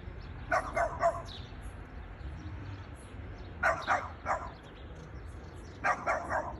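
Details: Boston Terrier barking at a plastic bag: short, sharp barks in bursts of three, with each burst about three seconds apart and quiet between.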